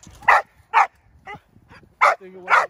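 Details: Six-month-old Belgian Malinois named Indi during bite work training: four loud, clipped barks and one softer yelp within under three seconds, with a faint low hum beneath.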